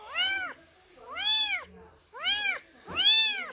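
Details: A tiny kitten abandoned by its mother and adopted at a rural house in Donghae, Gangwon, gives high, arching meows about one a second, crying because it is hungry.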